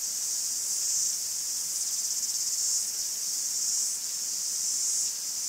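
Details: Forest cicadas in Greece droning in a bright, sizzling high chorus, pulsing louder and quieter roughly each second, with a brief dip near the end.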